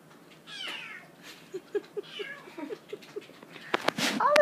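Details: Young domestic kitten asking to get into the dishwasher: two drawn-out, slightly falling meows, a quick series of soft low chirps between them, then clattering household noise at the end.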